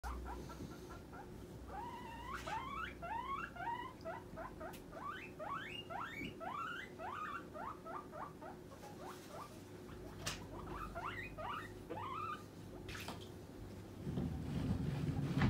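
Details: Pet guinea pig demanding food as snack time nears: a rapid run of squealing wheeks, each rising sharply in pitch, repeated about four times a second in bursts, with a low steady hum beneath and a brief rustle near the end.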